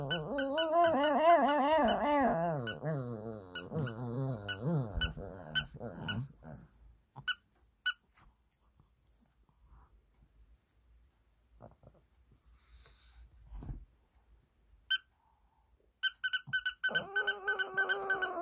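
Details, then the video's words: Shih Tzu named Sunny howling sadly indoors in response to a doll's squeaky sound; wavering, warbling harmonic howls fill the first few seconds, then repeated sharp squeaks from the toy, quiet gaps, and another short howl near the end. "시츄써니는 인형소리에 슬프게 노래불러요 Shih Tzu Sunny sings sadly at the doll's sound"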